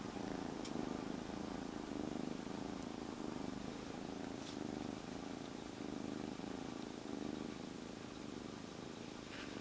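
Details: Calm rescued kitten, stray until three days ago, purrs nonstop inside a jacket. The low throbbing rumble rises and falls in slow waves, roughly once a second, with occasional soft rustles of fabric.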